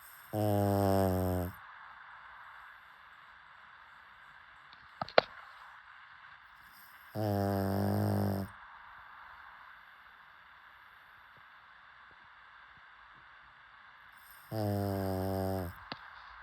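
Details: Pug snoring while asleep: three drawn-out, buzzy, droning snores, each lasting about a second and spaced roughly seven seconds apart, with quiet breathing pauses between them and a single sharp click near the middle.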